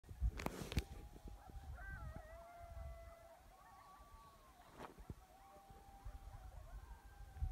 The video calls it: Coyotes Yelping and Howling turn up volume